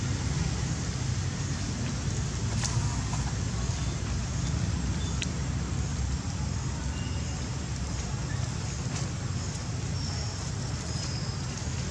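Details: Steady low rumbling noise like road traffic or a running engine fills the scene, with faint speech and a few brief ticks above it.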